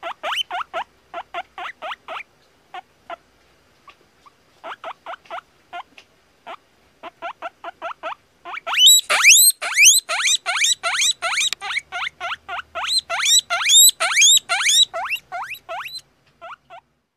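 A guinea pig squeaks in quick bursts of short, sharp notes. Partway through, the calls swell into loud, rising whistles, repeated more than twice a second.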